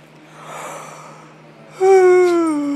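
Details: Yorkshire Terrier named Nemo, pet dog lying in his bed indoors, gives a loud, drawn-out whining moan that slides slowly downward with a rich, nasal tone, preceded by a soft breathy sound; steady low electrical hum in the room.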